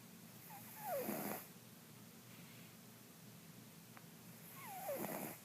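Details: Mr. Jigilo, a pet cat also called Jiggy, snoring while asleep indoors: two breathy snores about four seconds apart, each with a faint whistling note sliding downward on the inhale, in a quiet room.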